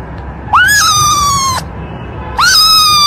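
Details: Cat. A young domestic cat meows loudly twice, the first call lasting about a second. Each meow starts with a quick upward swoop and then holds a bright, harmonically rich tone that sags slightly before cutting off.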